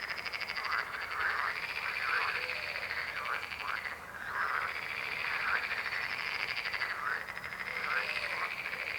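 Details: A loud, continuous frog chorus. Rasping croaks repeat rapidly beneath a steady high-pitched trilling buzz, with a brief lull near the middle.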